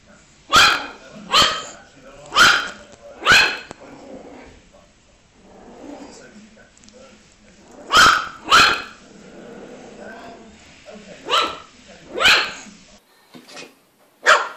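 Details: Young dog giving sharp, bright barks in pairs and runs: four fast ones at the start, a pair near eight seconds, then several more toward the end, with faint murmuring in the quiet stretches.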